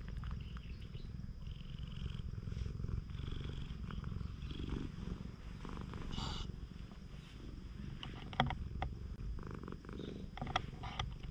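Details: Free-roaming stray cat on a Japanese cat island, purring as a man pets its body; continuous low rumbling purr across the whole stretch, with occasional rustles and sharp handling clicks.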